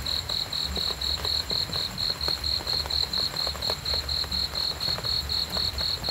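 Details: Continuous high-pitched cricket pulses, slightly uneven in spacing, ticking at about four a second above a gentle low-frequency murmur and occasional soft clicks.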